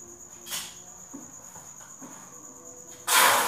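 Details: Farmed crickets at the Thanh Bình cricket farm at 8 pm: a steady, unbroken high-pitched ringing hum from many insects, with scattered soft knocks and a loud rushing burst of noise at the very end.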